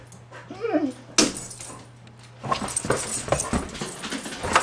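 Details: White huskies indoors, excited after spotting a deer in the front yard, running around the house and jumping on furniture: a short wavering whimper, then loud thumps, clatter and scrambling paws.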